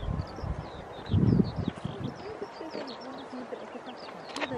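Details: Grey seals early in the pupping and mating season at Donna Nook, Lincolnshire, on 5 November 2018: a low, loud burst, then wavering, sliding moans in the low-to-mid range over a steady background, with scattered high chirps above.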